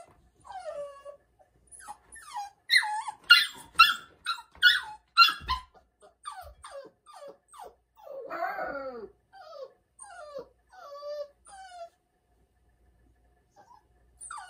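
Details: Crying at night from Bell, a Labrador Retriever puppy spending her first night in a cage; a run of sharp high yelps and falling whimpers, repeated roughly twice a second, then softer whines trailing off.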